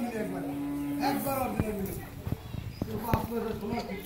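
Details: Friesian dairy cow with a bull calf, on a farm in Pabna, Bangladesh. She is in her first lactation, giving 13–14 litres of milk. A long, low, steady moo lasts about a second and a half and falls slightly, followed by clanks and people talking.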